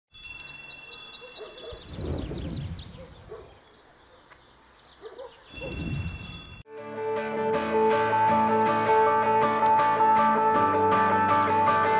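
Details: Chimes and stable noises with a brief rustle, then steady melodic music with sustained tones; no animal voice is heard.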